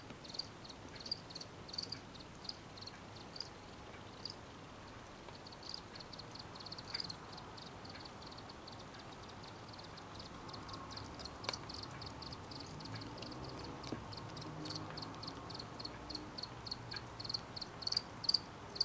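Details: Night chorus of crickets, high-pitched pulsed chirps in loose bursts, thickening toward the middle and end, set against a soft, constant background hiss.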